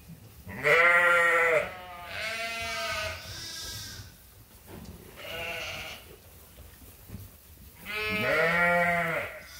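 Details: Farm sheep at Ewetopia Farms awaiting their feed in lambing season; strong harmonic bleats open and close the stretch, with several softer wavering bleats from other animals in between.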